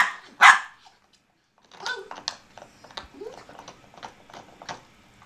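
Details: German Shorthaired Pointer Benelli and Bichon Rocky at play; one sharp loud bark at the start, a pause, then a run of softer yips, whines and short vocal bursts.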